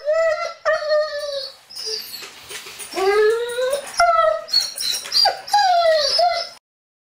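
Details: Sirius, a pet Dobermann, whining, played back in slow motion so it resembles humpback whale sounds: long, tonal, harmonic moans that slide up and down, some sweeping upward, in several drawn-out phrases with short breaks, then silence at the end.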